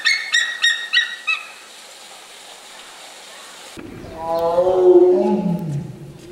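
Zoo animals call: quick high yelps, then a deep, rough roar that sinks in pitch.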